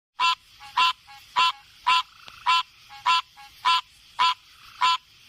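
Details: Frog calling: loud nasal honking croaks repeated about every half second, nine in a row, with short faint clicks between them.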